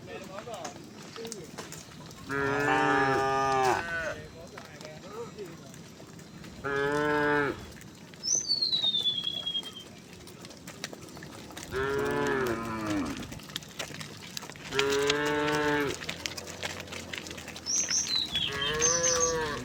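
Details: A tame cow gives repeated loud, drawn-out moos, each a rich harmonic bellow lasting one to two seconds, as a herd strolls towards a wide pasture on a quiet, sunny morning.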